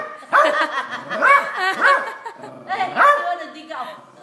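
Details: A small Silky Terrier seeing a crab for the first time gives clustered, yappy barks with a whining edge, in two bursts separated by a brief pause, with speech close by.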